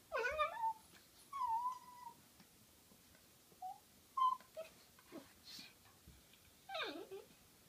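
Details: Butterball the dog wrestling playfully with Looey, giving scattered short whimpers and squeaky whines, some falling in pitch, separated by quiet gaps in a small room.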